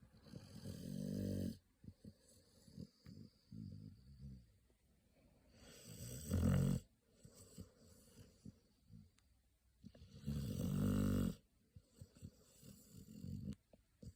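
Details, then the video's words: Baby American Pit Bull Terrier Pocky sleeping with eyes rolled back, three loud buzzing snores roughly every four to five seconds, with quieter snuffling breaths and little clicks in between. "白目をひん剥いて、いびきをかいて 眠るアメリカンピットブルテリアの赤ちゃん"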